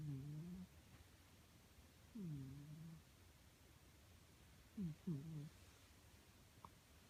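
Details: Sleeping pet cat snores in short, low, tonal breaths that glide downward then flatten, coming in uneven bursts, including a quick double breath, in a quiet room.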